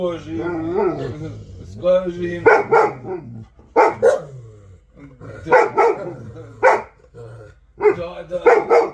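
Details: Central Asian Shepherd Dog (Alabai) named Vasya, 'talking': loud, sharp bark bursts, often in quick pairs, coming in clusters with pauses, over low, droning, voice-like sounds and human speech.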